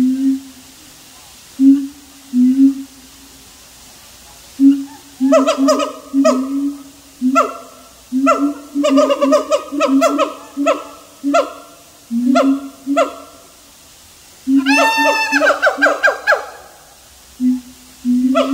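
A siamang gives deep, resonant booms, then bursts into loud, barking hoots and a rising, wavering scream.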